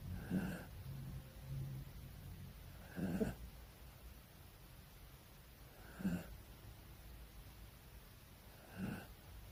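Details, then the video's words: Sleeping poodle snoring with its eyes rolled back, a building 'gradation' snore: four soft, breathy snorts spaced roughly three seconds apart over a quiet, low background. "눈 까뒤집고 코골며 자는 푸들 / 잠자는 푸들 / 코골이 / 코고는 강아지 / 푸들 / 그라데이션 코골이"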